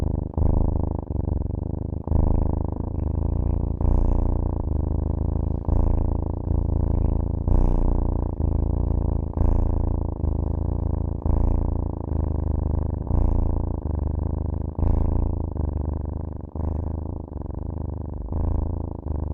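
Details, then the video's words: Long, even cat purr, a low buzzing rumble rising and falling with regular breaths throughout, the only sound present. "cat purr"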